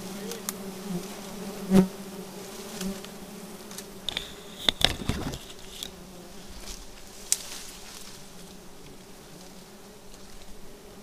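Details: Honey bees disturbed during a night honey harvest under bright moonlight; a steady low droning hum with a fainter band above it runs throughout, broken by a few sharp knocks and clicks.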